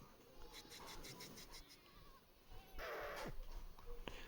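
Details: Goats, a newly arrived truckload of about 250 young females and bucks at a goat farm in Indave, Sakri, Dhule, Maharashtra, bleating in a short run of wavering, nasal repeated calls, followed by a burst of broadband rustling noise and a faint voice.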